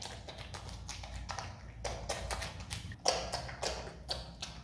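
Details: A pet Himalayan marmot eating pineapple: sharp, wet crunching clicks at an uneven rhythm.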